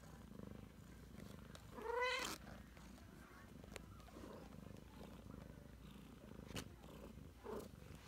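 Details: Purring from a Ragdoll mother cat with 3-week-old kittens: a constant low throbbing drone, with one loud rising-falling kitten mew early on and a faint squeak near the end.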